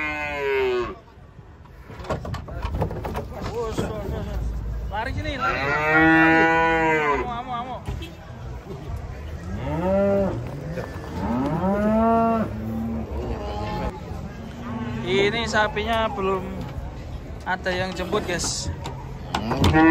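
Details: Cattle unloading from a truck bellow in a string of long, arched moos, some rising then falling, rich and harmonic, with overlapping callers, clattering hooves or metal knocks and occasional human voices in the background.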